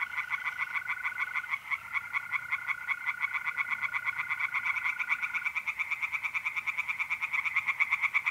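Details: Tree frogs calling by night at a pond in north-east Italy, mid-April: continuous rapid rasping pulses that grow louder and more regular toward the end, layered over a long, even mole-cricket trill during the first five seconds.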